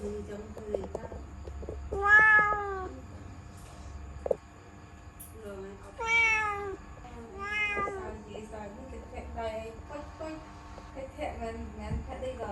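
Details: Kitten at home, stuck in a laundry basket before escaping, meows repeatedly: loud drawn-out wails about every two seconds, each rising then falling, among softer mews, with a steady hum and faint voices.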